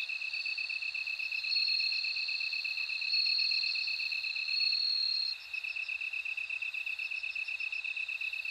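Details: Several long, pure ringing notes from a bell cricket rise above a continuous buzzing, fast-pulsed insect trill. The ringing stops after about five seconds, leaving only the pulsed chorus.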